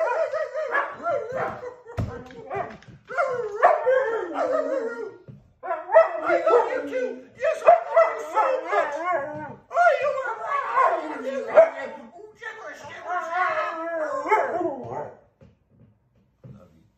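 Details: A husky-boxer mix dog howls in a contest with its owner. Long, wavering, harmonic howls come in repeated phrases of about two seconds, rising and falling, with human howling mixed in. They stop near fifteen seconds.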